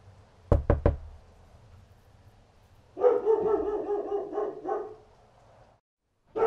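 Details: A dog barks outside in a sustained, rough run lasting nearly three seconds, preceded by three sharp knocking sounds and a low rumbling background, with another bark starting at the close.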